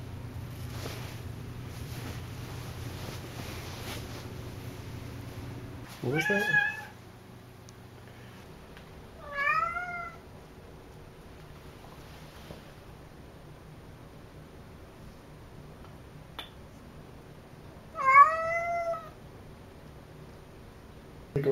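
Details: Cassidy, a chatty domestic cat, lets out four meows spread over twenty seconds, some gliding down in pitch, separated by long quiet gaps with low room hum and a few soft knocks.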